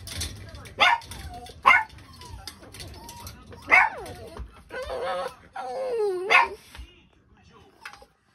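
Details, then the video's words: Male Toy Poodle puppy giving a series of short high yips and squeaky whines, each sharp burst rising and falling, several spaced about a second apart, with a person's voice faint in the background. "トイプードル これからが楽しみな男の子"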